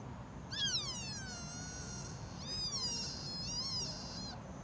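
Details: Sika deer fawn in Nara Park, Japan, giving three high, squealing bleats: a long first cry sliding downward and fading, then two shorter wavering cries close together, over a low steady rumble of outdoor background noise.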